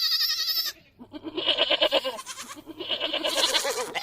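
A goat bleats in loud, quavering, nasal cries, one after another.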